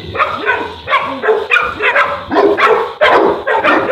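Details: A Boerboel (African Mastiff) in Egypt barking loudly and steadily, about two or three gruff barks per second, with some overlapping between the barks.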